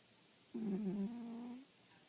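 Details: Sleeping cat indoors giving one low, buzzy, slightly wavering snore lasting about a second, which fades slowly before the room falls quiet.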